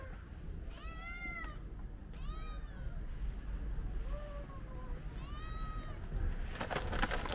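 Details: Hungry cats gathered for lunch, meowing: several drawn-out, slightly rising then falling meows in close succession, some overlapping, with a rattling noise near the end and low rumbling background.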